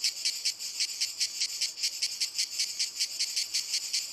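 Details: On walnut trees, cicadas produce a harsh, high-pitched song of sharp rhythmic throbs, roughly four per second, over a constant buzzing background.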